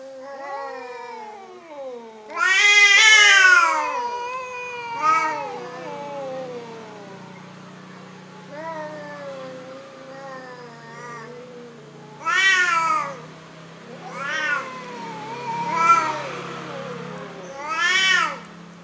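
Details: Cowardly orange cat giving drawn-out wavering meows, one loud long call early, softer trailing mews in between, then three short sharp meows toward the end; faint low hum and high whine throughout.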